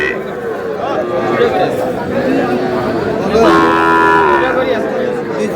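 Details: Sahiwal bull calves for sale at a cattle market in Mymensingh, Bangladesh, on 12 May; one drawn-out, harmonic moo lasting under a second, set against a steady murmur of crowd chatter and bargaining voices.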